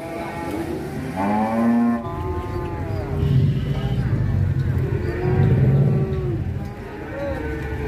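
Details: Cattle from Indonesia, filmed among large show-type cattle: a drawn-out harmonic moo rising then falling, followed by deep low bellowing lows in two long bursts, with faint voices behind.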